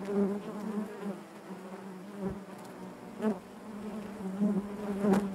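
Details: Massed honey bees hum in their hive, a low continuous buzz with bright harmonic layers, pulsing louder and softer as bees shift about, with a brief close pass just after three seconds.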